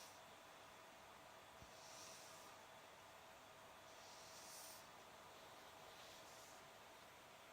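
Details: Sleeping cat on a summer day, snoring gently. Faint breathy rasps swell and fade at irregular intervals of about two seconds against constant hiss, with one brief click partway through.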